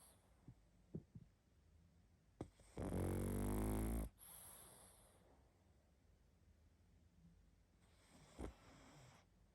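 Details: A sleeping pug snoring loudly indoors: one long, harsh, rumbling snore with rattling low buzz, followed by quiet breathing and a few faint snuffles and clicks.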